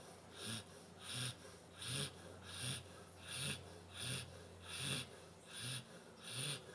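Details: Pantera, a nine-month-old Labrador Retriever, snoring while asleep indoors: regular breathy snores with raspy, wheezing bursts about every 0.7 seconds, steady low hum in the background.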